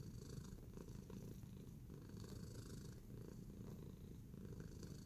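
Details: Tacy, a domestic cat in a relaxed kneading mood, purring steadily: a low, continuous rumble pulsing rapidly throughout, quiet and even in level, with faint soft rustling above.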